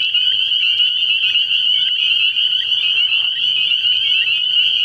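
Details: Dense chorus of spring peepers at a night frog pond in early spring, countless high piping peeps blending into an unbroken shrill wall of sound, a brief soft rustle midway.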